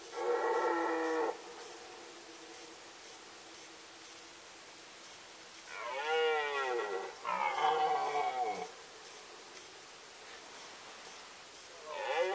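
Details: Roaring red deer stag at the 2018 rut in Poland's Sandomierz Forest: a steady bellow, then after a pause two strained, wavering roars that bend downward in pitch, and another starting as the sound ends.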